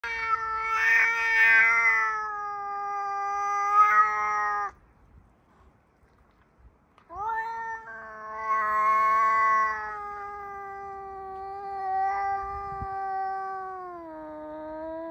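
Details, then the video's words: Charlie, a neighbour's white and black male cat, filmed on an iPhone 14 Pro Max, gives long drawn-out wailing meows of about four to five seconds each, separated by a short quiet gap, the last one sagging lower in pitch. "Cat Mewing"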